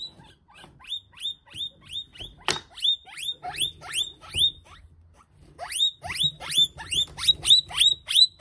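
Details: A guinea pig thrown to a monitor lizard squeals in piercing, downward-sliding bursts, roughly three a second, breaking off for a moment near the middle before resuming loudly, with faint low rustling underneath.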